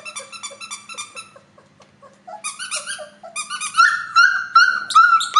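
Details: Cream F1 Labradoodle, bred from a Standard Poodle dam and red Lab sire, first making soft quick whimpers about two per second, then louder drawn-out, wavering squealing whines.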